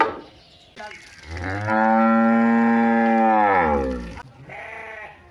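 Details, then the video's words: Village cow giving a long, steady moo of about two and a half seconds, rich in stacked harmonics and level in pitch, with a fainter, shorter call following it. "which is your favourite cow for sound"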